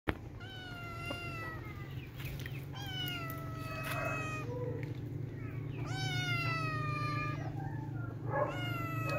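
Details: Playful kittens mewing: four high, harmonic-rich meows that are drawn out, each slightly falling at its end, spaced a couple of seconds apart over a steady low mechanical hum.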